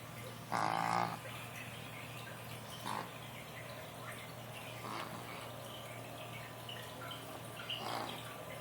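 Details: A sleeping Boston terrier puppy snores, starting with a loud nasal snort followed by softer breathy snores every few seconds, while nursing/eating in his sleep.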